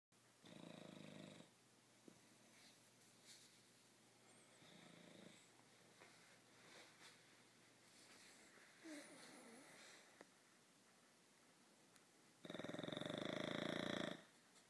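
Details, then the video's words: Sleeping dog snoring: three harsh, rasping snore breaths about a second or more long, spaced far apart, with low, faint rustling and breathing between them in a quiet room. "Dog snoring"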